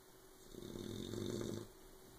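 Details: Asleep, puppy Oberon lets out a single, low, rattling snore of about a second, pulsing and buzzy, loud enough to keep Tyson from sleeping.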